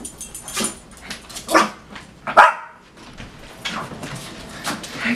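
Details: Rescued Yorkshire Terrier, about two years old, greeting his owner arriving home, spinning and jumping with excitement; a few sharp yips and barks, the loudest near 1.5 and 2.4 seconds, with a person's welcoming voice around them.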